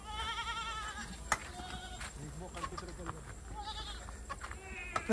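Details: Osmanabadi goats on a stall-fed farm in Maharashtra, India, at evening feeding with fodder: a wavering, harmonic bleat opens, with shorter quavering bleats near the end, while people talk throughout and thuds sound in between.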